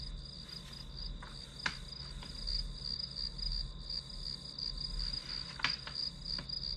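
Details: Grass insects keep up a continuous high pulsing trill for study background, with a few sharp clicks or taps breaking through around the middle and near the end.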